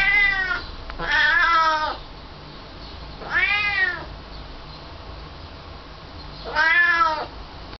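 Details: Pet cat uttering three loud, plaintive meows, each about a second long with rich arching harmonics, spaced two to three seconds apart, over faint steady background noise.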